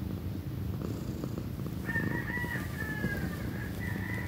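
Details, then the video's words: Loud, continuous low purring from Pequeña, a young female cat about to turn one. Halfway through, thin drawn-out higher calls sound faintly in the background over the rumble. "loud kitty purrs"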